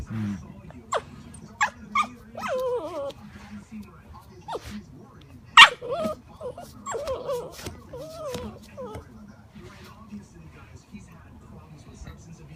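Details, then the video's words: Alaskan malamute puppy making a string of sharp yips and wavering, sliding whines with one loud harsh bark near the middle, trailing off into quiet for the last few seconds. "Alaskan malamute puppy making sounds"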